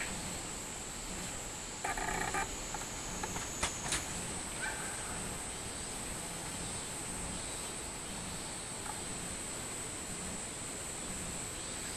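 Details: A Minmin (robust) cicada sings a steady, high, ringing drone, with a few knocks and a low background rumble, recorded on 24 July 2016.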